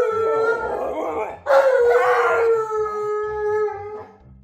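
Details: Howling from pet Malamute Monroe and Husky Tonka before breakfast: a sustained, slightly falling tonal wail, rising sharply to a stronger second howl that slowly fades, with faint music in the background.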